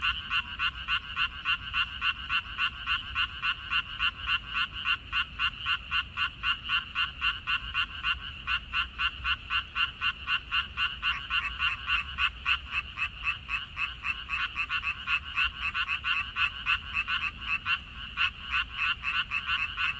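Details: Frogs calling in a Korean water-parsley field, 14 May 2021: a slightly more distant, dense chorus of rapid rasping pulses, nearly four a second, unbroken across the whole stretch over a gentle low background rumble.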